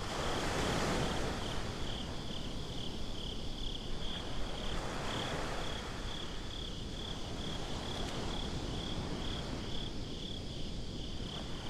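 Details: Crickets chirping at night on a beach, recorded binaurally: a steady high pulsed trill runs throughout beneath a broad, constant wash of surf and low rumble.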